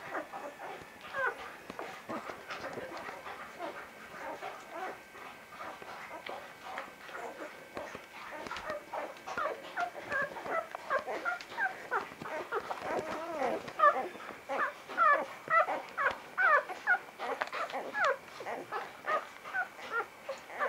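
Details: Vizsla puppies from Batai, a litter roughly a week older by 10 January 2013, whimper and squeal in a dense, overlapping chorus of short high cries that grows busier and louder toward the end.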